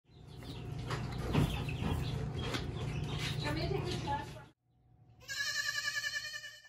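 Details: A baby goat being cuddled on a hobby farm gives a high, quavering bleat after a stretch of people talking and handling noise; goat.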